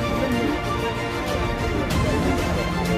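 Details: Dense, loud background music plays throughout, with no cattle or other animal sounds distinguishable.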